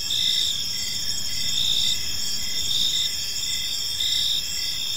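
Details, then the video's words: Crickets in a tranquil park at evening: bright, continuous high trills mixed with evenly spaced chirp pulses, roughly one per second, over soft low-frequency ambient noise. "Park Serenade: Cricket Sounds in a Peaceful Park | Evening Ambience"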